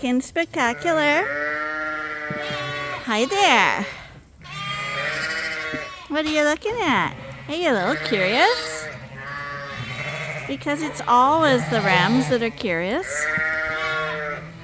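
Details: Suffolk lambs mixed together in a barn at Ewetopia Farms, racing around with extra space after an open gate; many overlapping bleats, strongly wavering and bending in pitch, coming in bursts with short lulls between.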